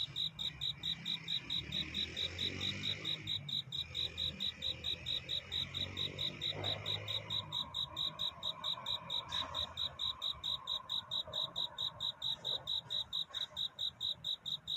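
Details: Cricket singing a courtship song at night toward dawn: steady, high, ringing chirps repeated a little over twice a second, with a low rumbling background and a few faint lower sounds underneath.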